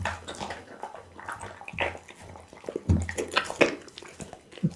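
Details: Pit bull named Bounce eating raw food such as loach, tuna, beef kidney, lamb spine and horse meat, filmed on an Insta360 ONE R; wet, squelchy chewing with scattered crunchy clicks and a steady low hum underneath.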